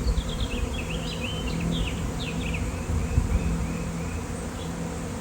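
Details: Thousands upon thousands of swarming honeybees gathered near an electric line, producing a steady low hum with a faint tonal drone, while birds chirp rapidly in a burst of high twittering notes.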